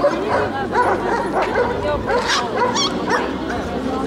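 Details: Eight-month-old American Staffordshire Terrier giving a run of short, yappy barks and whimpering yelps in quick succession, with a person talking over much of it.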